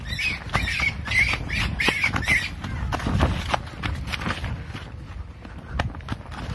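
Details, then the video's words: Caught baby wild rabbit crying: a run of short, high squealing cries repeated quickly over the first two and a half seconds, then fading, with rustling, handling noise and footsteps throughout. "Catch the screaming baby rabbit wild rabbit cry"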